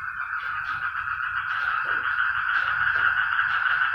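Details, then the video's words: Noisy frogs in full chorus: an unbroken, buzzy, rapidly pulsed drone at middle pitch, with brief louder individual croaks standing out now and then over a soft low hum. "ang mga palaka nag ingay"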